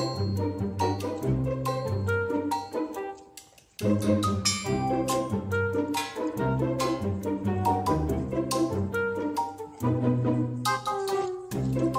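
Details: Orchestral music with brass, strings and percussion plays throughout, briefly dipping near the four-second mark; no animal sound heard.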